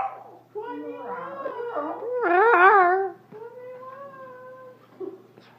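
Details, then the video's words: Female dog trying to escape indoors before being let out, making unusual talking-like sounds: wavering whines build into a loud, quavering howl, then a steady, softer moan. People speak in the background. "Dog Barks really sadly when Trying to Escape!"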